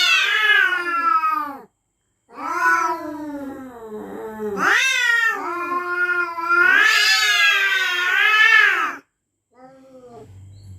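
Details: At night, resident cats threaten one another with long, warbling yowls that rise and fall almost without a break, separated by two short silences, then a quieter trailing moan.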